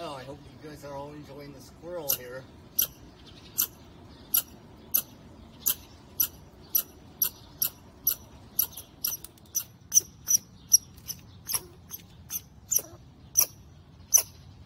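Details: A human voice speaks briefly before a squirrel on a wall takes over with a long, persistent string of high, sharp chips, about two per second, continuing insistently.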